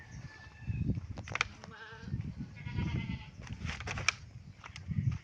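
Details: Domestic goats kept near the owner's house, giving faint, quavering bleats between bursts of clattering and rustling handling noise.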